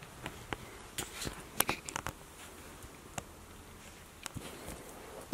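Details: Quiet indoor room tone with scattered taps, clicks and rustles, ending in a short sharp sound.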